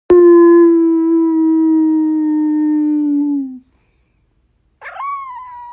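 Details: Pit Bull howling: one long steady tone lasting over three seconds, slowly dropping in pitch at the end, then silence and a short rising howl after a pause.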